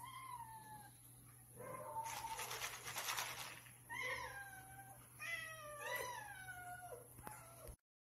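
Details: Several cats meowing for food as part of their morning routine when hungry; a short meow, then a noisy rustling burst, followed by a run of wavering, descending meows before an abrupt cut.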